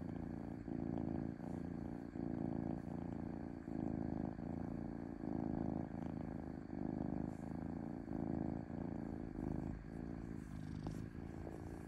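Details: Smooth purring of a domestic cat, a deep throbbing rumble repeating in even surges of about a second each, with faint clicks between breaths.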